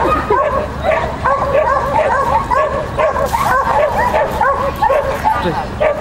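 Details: At a "Child and Dog" competition held 31 May 2015, the Shetland Sheepdog Lesya keeps up fast, piercing barks, several per second, while a person talks over the noise.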